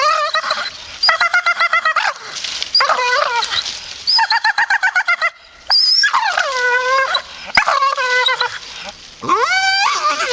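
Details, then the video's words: A grumpy Staffordshire Bull Terrier grumbles on and off: fast stuttering moans alternate with long drawn, wavering whines that bend up and down in pitch. "Funny Grumpy Staffy"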